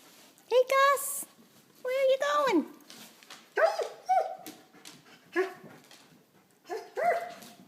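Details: Dog in its first week, giving about six high, harmonic yelping whines that rise then slide downward, each under a second, spaced one to two seconds apart, while a person talks to it and tells it no.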